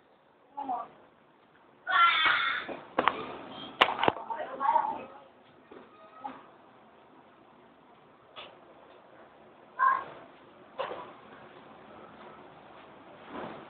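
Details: A 3-month-old female Siamese cat, playing with her toy, gives loud, drawn-out meows with raspy, wavering tones amid household noises.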